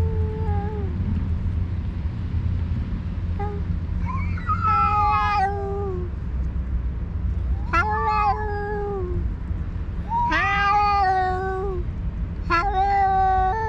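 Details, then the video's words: Two alpha stray cats, leaders of separate cat groups on a cat island, fight by yowling while the rest feed; long, wavering caterwauls rise and fall in bursts every few seconds over a steady low rumble. "2 alpha cats are fighting by talking"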